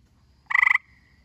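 A gray tree frog gives a brief, rapid pulsed trill, about seven quick beats in a quarter second.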